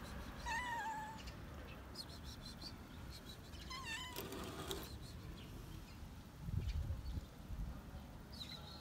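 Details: A hungry stray cat on a roof meows for food: two separate short, wavering meows a few seconds apart, with bird chirps, scraping sounds and a low thud in between.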